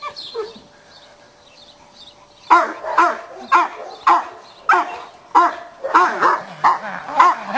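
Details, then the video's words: Cane Corso undergoing aggression training with a stick at a utility dog school in Piatra Neamț: after a quiet start, forceful barks ring out steadily, roughly every two-thirds of a second, about eight in a row. "Cane corso,agresivitate la baston"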